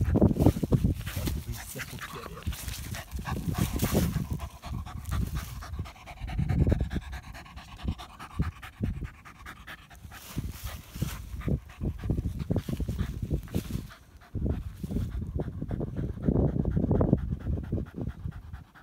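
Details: German Hunting Terrier on a badger hunt, rapid rhythmic panting that swells and fades in loud bursts, mixed with scuffling and rustling noise over nearly twenty seconds.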